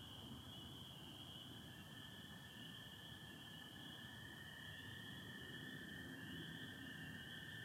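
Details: Massed spring peepers calling with American toads in Michigan on the night of 24 April 2025, stars out with some overcast: an unbroken high-pitched peeping drone layered over a lower sustained trill, with faint low rumble beneath.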